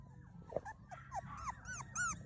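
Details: Miniature Australian Shepherd puppies whimpering and yipping indoors: many short, high, curving whines rising and falling, overlapping and growing denser toward the end, while a person calls to them.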